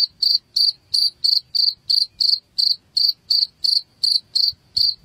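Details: Shrill cricket chirps meant to scare rats away from a home, evenly spaced at about three per second, each a bright, ringing pulse over a quiet background.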